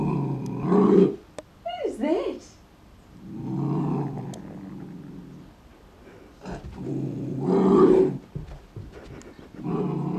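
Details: An Airedale Terrier puppy sees his reflection for the first time and growls at it. Low, rough growls come in bursts at the start, the middle and near the end, with a short rising whine between them. A person talks nearby.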